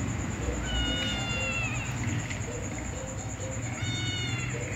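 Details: Domestic cats, a ginger cat together with a white female cat: two drawn-out, slightly falling meows about three seconds apart, over steady background music or hum and a constant high-pitched tone.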